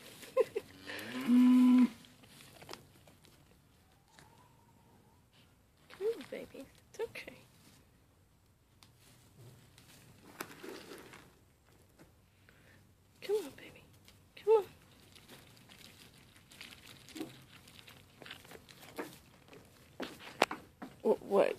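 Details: Mini LaMancha goats Maggie and Abbie, two sale-barn goats being tamed to eat from a hand. One loud, drawn-out, wavering bleat comes early, followed by quieter rustling, handling noises and soft low sounds.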